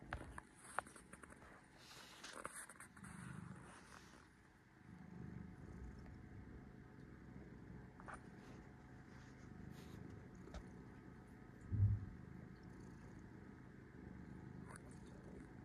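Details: Resting domestic cat purring softly, low rumbling swells returning every two to three seconds beneath a quiet room background with a few faint clicks and a brief bump near the end.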